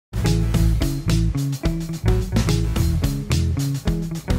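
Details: Upbeat plucked guitar music with a deep bass line and sharp rhythmic strums, played without any animal sound.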